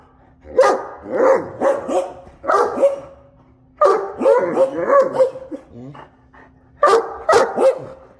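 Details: Two Great Danes hold their usual morning "conversation", giving a run of deep, moaning, talkative grumbles and yowls in uneven bursts.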